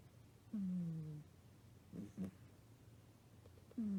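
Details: Kotetsu, a British Shorthair cat, snores while worn out after returning from the vet, where flea and heartworm medicine was prescribed. The snores are low, droning, falling tones, with three separate breaths spread over a few seconds in a quiet room.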